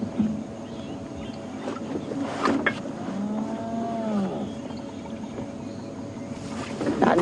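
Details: Wild spotted hyena on a sunrise morning safari drive, 17 January 2016, giving a low contact call: one deep, arched moan that rises and falls over about a second, under steady vehicle engine rumble with brief knocks.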